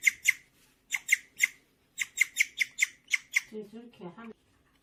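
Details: Indoor pet guinea pig Gureum giving its happy, bird-like chirp: clusters of loud high chirps in short bursts separated by pauses, then a human voice briefly at the end.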